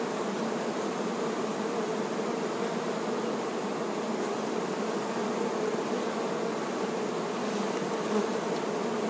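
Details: Steady massed buzzing of honey bee workers tending the queen bee, a smooth droning hum with faint higher whine, unchanging in loudness.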